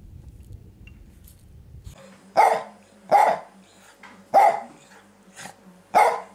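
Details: Jack Russell Terrier named Rolf Von Ikaros, 18 years old, giving four loud, sharp barks spaced roughly a second apart after a quiet start, with faint soft yips in between and low room noise early on.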